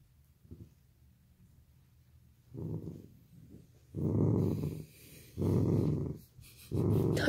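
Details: Dachshund growling while catching and playing with an octopus; low, rough rumbling growls come in four bursts of about a second each, swelling louder after a quiet start, with a faint snort near the opening.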